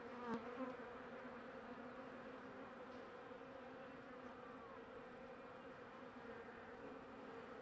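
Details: Continuous droning hum from a small honey bee colony with eggs and young larvae, checked late in winter as spring nears; an even buzz throughout, with one sharp click at the start.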